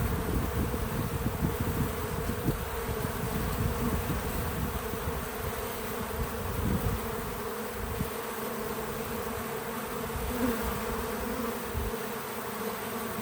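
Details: Low, continuous buzzing of bees working a feeder outdoors on a small farm, a dense steady hum with faint wingbeat flutters rising and fading across the recording; no speech or music.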